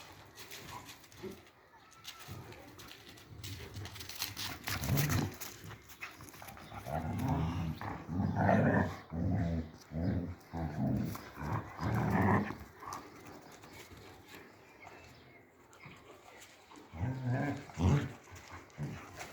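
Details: Three-month-old German Shepherd puppies, male and female, growling in low rumbling bursts that pulse steadily through the middle, with scuffling play noises and a quieter pause before more growls.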